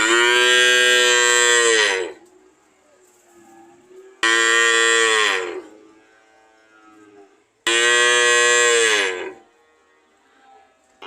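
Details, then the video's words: Cow giving three long, loud moos of about two seconds each, evenly repeated roughly every four seconds, rich and harmonic with a falling tail, separated by near silence. "Sound of cow"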